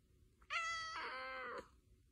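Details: Domestic cat giving one long, clear meow of about a second, steady then slightly falling, with a rich harmonic tone; a person asks softly in Korean whether it wants food.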